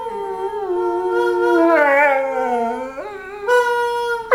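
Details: A dog talking with a continuous howl, a harmonic wail that dips lower, then rises sharply near the end into a higher, steadier note.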